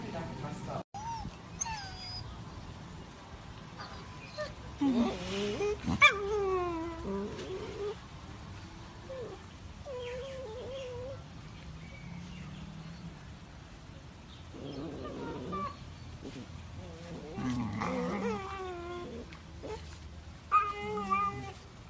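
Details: German Shepherd puppies whimpering and yipping: thin, high whiny notes that rise and bend, coming in scattered bursts, with people talking in between.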